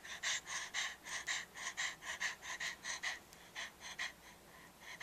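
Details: Dogs at play on 30 April 2012, Jack Russell Terrier Molly and French Bulldog Elmer, indoors. Fast, steady panting of about two breaths per second, each breath a hissing, airy burst. The rhythm stays even throughout.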